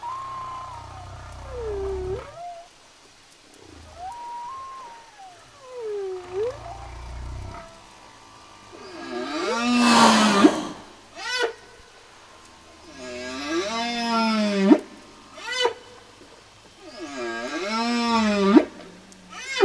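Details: Song of the humpback whale: repeated descending swoops, then a loud broadband blast and three rich harmonic cries at regular intervals, each bending upward, with low rumbling between phrases.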